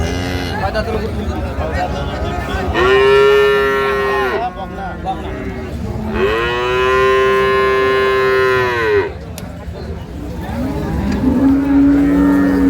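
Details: Two long, full moos about three seconds apart from improved-breed dairy cattle, cows and calves, at Ambari haat market on 2/3/25, with a softer low call at the end and market chatter underneath.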